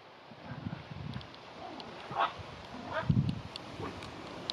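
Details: A 7-week-old golddust Yorkshire terrier puppy gives a few brief, high yips and soft whimpers.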